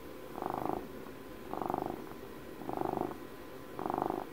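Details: Domestic cat on its 12th birthday, a pet recovering from emergency surgery, purring close up indoors: a soft rumbling purr swelling into four louder bursts about once a second, each breath cycle fading between, with faint room hiss.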